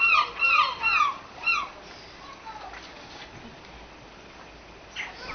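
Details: Seal pups at a seal creche being fed, giving several high, wavering squealing cries in quick succession during the first two seconds, then quieter background with faint squeaks and a short cry near the end.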